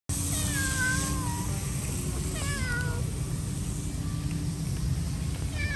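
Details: Cat meowing nicely while asking for food: a string of drawn-out, falling meows, the first ones long and wavering, then a pair of shorter ones and a final brief cry, over a steady low rumbling background.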